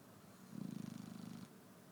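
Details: Morning snore from a sleeping Shar Pei, one low buzzy exhalation of fast vibrating pulses lasting about a second, over faint room hiss.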